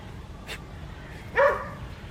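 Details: One short bark rises out of a low background hum, given by Adriano, a West Highland White Terrier in a village garden at Hoat Wala, South Punjab, Pakistan, on a winter morning.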